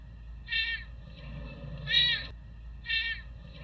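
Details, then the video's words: Des, a serval rescued from the Arizona desert and living at Big Cat Rescue sanctuary in Tampa, Florida, gives three short, bright, harmonic meow-like calls spaced about a second apart over a low steady hum. "Des serval sounds"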